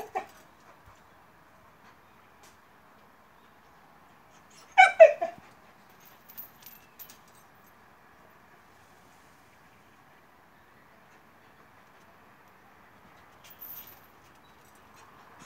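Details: Black mackerel tabby stray cat that suddenly appears on a stone wall in front of a gate, crying for food. One short, loud, strained meow lands near the five-second mark, with a faint cry at the start; otherwise near silence and soft hum.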